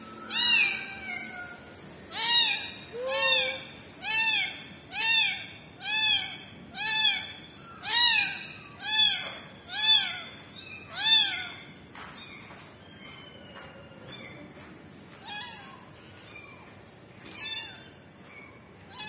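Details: Kitten crying for momma cat: a rapid series of about a dozen loud, arched meows nearly one per second, then fading to softer, sparser cries; a person urges it toward its mother.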